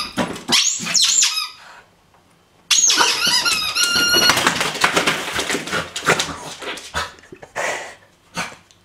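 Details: Pet dog excited at mail time indoors in a small room: high, wavering squeaky whines with sliding pitch, in two bursts separated by a short pause, mixed with rustling.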